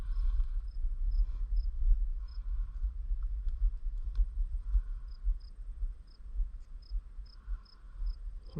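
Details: Crickets chirp in an Iowa prairie in Bremer County, short high pulses repeated steadily about twice a second over wind rumble.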